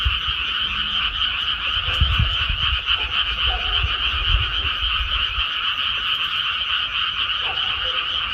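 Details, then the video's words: Croaking frogs fill a rice paddy after planting, a thick steady chorus of fast grating pulses, with brief low thumps and rumbling noise around the second to fifth seconds. "개구리 우는 소리"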